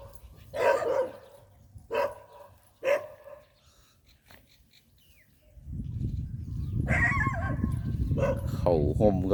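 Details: Pit Bull bandog that tires very easily gives three short, harmonic barks about a second apart, followed by a man talking over steady background noise.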